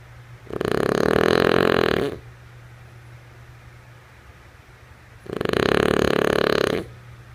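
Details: Female French Bulldog Lulu snoring in her sleep, two harsh buzzing snores around three and a half seconds apart, each about one and a half seconds of rapid rattling vibration, low hum filling the pauses.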